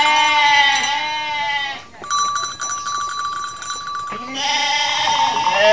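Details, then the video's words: Mother goat in Indonesia bleating: long harmonic wavering bleats at the start and end, separated by a steady high electronic-sounding tone in the middle. "INDUK KAMBING LUCU BANGET BIKIN NGAKAK | SUARA KAMBING"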